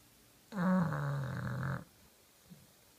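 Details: Deeply asleep, the bulldog Kenta gives one long, rattling snore lasting just over a second, then silence with a faint soft breath.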